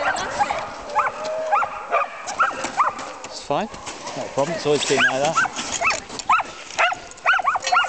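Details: Samoyed sled team in France on snow, excited dogs yipping and barking in quick overlapping rising-falling cries, many animals calling at once, with people talking over them.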